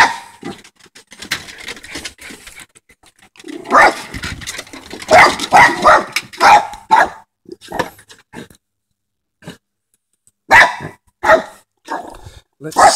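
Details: A dog barking at a groundhog gives sharp, irregular bursts, some single barks and some quick runs of two or three.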